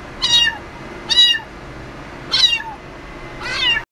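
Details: An American Shorthair cat gives four high, thin meows, each about half a second long.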